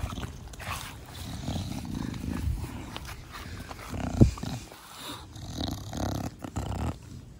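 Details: Pet Bulldog named Da Vinci, cuddled in a home garden, giving its brachycephalic 'fugo fugo' snorting breath: low, rough snuffling bursts repeating throughout, with one sharp click partway through.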